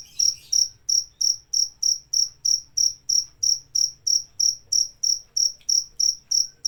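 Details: Steady chirping from a cricket: about 21 clear, shrill pulses at roughly three per second, evenly spaced, with a faint low rumble in the background.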